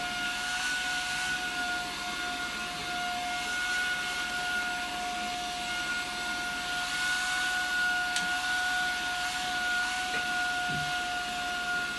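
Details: Steady indoor machine drone like a vacuum cleaner, with two sustained whining tones and a broad hiss, plus a single sharp click near the end.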